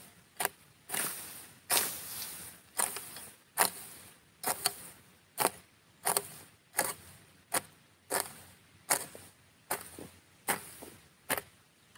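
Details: Sharp mechanical clicks repeat a little over once a second against a soft background hiss, with no animal voice heard.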